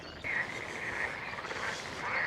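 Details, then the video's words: A steady chorus of green and brown frogs on a sunny day in a very dry year, with overlapping rattling, pulsed mid-high croaks blending into one continuous churring wash; little grebes and an occasional motorcycle are also audible. "I can hear all the green and brown frogs."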